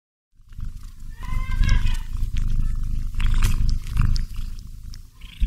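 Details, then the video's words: Pet cat snoring while cuddling a doll it loves: a deep, continuous low rumble with steady breathy pulsing and faint crackly clicks above. "Cat Cuddling with Dolls while Snoring Sounds HQ"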